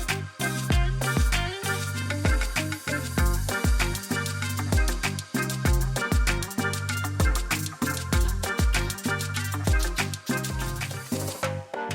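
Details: Upbeat rhythmic music with bass and percussion plays throughout, with no animal sounds.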